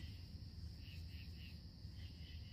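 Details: Crickets chirping at night along a river, joined by tree frogs; a steady high trill runs throughout with soft pulsed chirps repeating about three times a second, over low background rumble.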